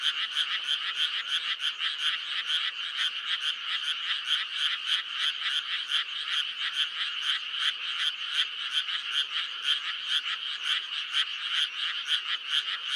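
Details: Continuous chorus of frogs in May: evenly spaced, harsh clicking croaks at a fast steady pace, many voices merging into a bright pulsing trill throughout.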